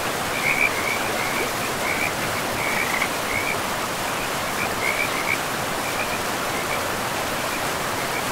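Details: Frogs calling beside a river in a pristine, moss-covered forest: short, raspy, chirping notes come in loose clusters every second or so throughout, riding over a steady, rushing roar of flowing water.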